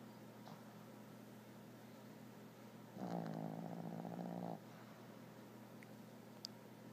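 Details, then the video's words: Sleeping puppies snoring. A single rough, buzzy snore lasting about a second and a half is heard midway, set against a quiet, steady low hum with faint ticks. "Snoring pups"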